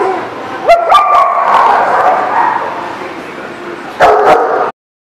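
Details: Dogs recorded on 29 January 2018: a sharp yelping bark rising in pitch, followed by a long, droning whine, then two more quick barks near the end.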